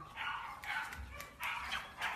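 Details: American Bully dog giving four short, high, tonal yipping barks in about two seconds, unevenly spaced, with a brief pause before the third; little background noise.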